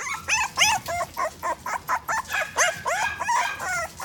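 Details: Toy poodle at a pet shop in Odawara, Japan, giving a quick run of high, yappy barks, about a dozen short sharp yips spaced roughly a third of a second apart, some with a slightly whiny edge.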